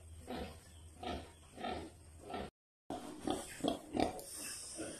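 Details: Farmed sow with only a few piglets, kept on a provincial pig farm, gives low rhythmic grunts about twice a second, with a brief silent break midway and then a denser run of grunts.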